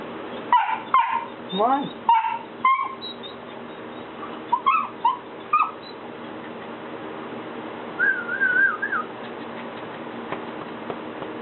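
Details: Golden Retriever puppy Buddy, three months old, stands at a step he is afraid to descend and barks at his owners: a quick burst of sharp yips with rising squeaky whines, then a few more yips and a wavering whimper, while a person coaxes him.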